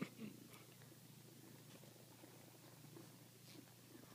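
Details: Kittens resting on laps purr contentedly, a steady, low, rumbling purr that runs unbroken from start to finish, with a short louder rustle at the very beginning and faint room sounds behind.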